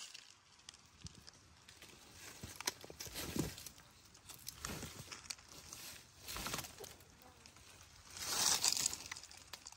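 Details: A Komodo dragon gives breathy, airy hisses while swallowing a whole goat, bracing against wood to force the prey into its mouth. The loudest hiss is a long rush near the end, amid wet rustling and crinkling sounds.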